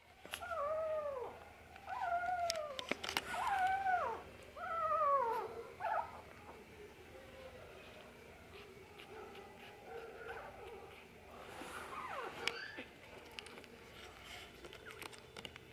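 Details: Shih Tzu sibling dogs at a pet shop in Nara give high, arching whines in a quick run, then quieter whimpers.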